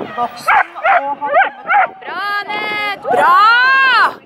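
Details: At the April 2015 Arendal agility trial, the Schapendoes Aira, second in A1, lets out four quick high yelping barks, followed by long drawn-out whining, howl-like tones over background voices.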